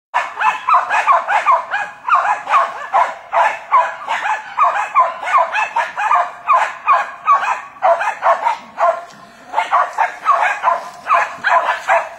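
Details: Jack Russell Terriers, several dogs, hunting wild boar: rapid, continuous yapping barks about two or three per second, overlapping and irregular, with short gaps near the ninth second.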